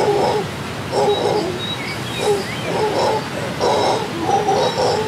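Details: Howler monkeys waking the rainforest of Costa Rica in the morning, rolling throaty roars rising and falling in repeated pulses, thin bird whistles in the background.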